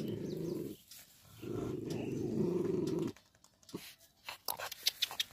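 A Bull Terrier gives two low, rumbling growls, the second longer, followed by soft clicks and room noise.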